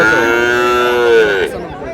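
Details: Sahiwal bull at a cattle market, 14 February, bought by a Narayanganj farmer: one loud, steady, richly layered moo of about one and a half seconds with a slight rise near its end, faint crowd behind.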